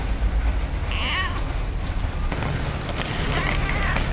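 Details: Two stray cats sheltering and sleeping in a cardboard box during heavy rain, recorded with a DJI Osmo Action; one short, bending meow rings out early, then fainter mews, all over a constant roar of pouring rain.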